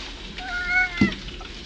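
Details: Domestic cat named Caleb, also called the Lubz, talking to birds, recorded 1.25.09: one short meow with a harmonic tone that rises slightly and then falls, lasting about half a second, over faint indoor background noise.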